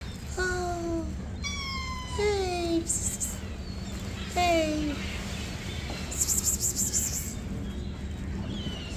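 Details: Stray cats being fed in the morning meow repeatedly: three clear harmonic meows, each falling in pitch, at roughly two-second intervals, with a person's voice and faint background noise.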